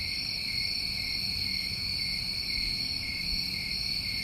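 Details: Crickets on a New England summer recording trill without break, a dense steady high-pitched buzzing in two parallel tones, with only faint low background noise.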